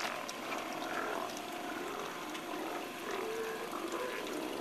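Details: Steller sea lions at a colony on the west end of Hanson Island, British Columbia, roar together in a steady, overlapping chorus of deep, rough growls.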